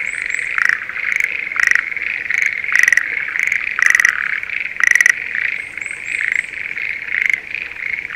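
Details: Schlegel's green tree frogs in breeding season, calling from a spring rice paddy near Sendai, Japan: a dense, steady chorus punctuated by loud, pulsed rattling calls that recur roughly once a second, with fainter higher chirps overhead.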